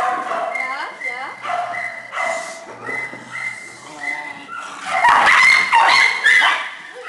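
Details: Shelter puppies and small dogs whining with rising-and-falling squeals and short yips, then a louder burst of piercing barks near the end as the kennel grows noisier.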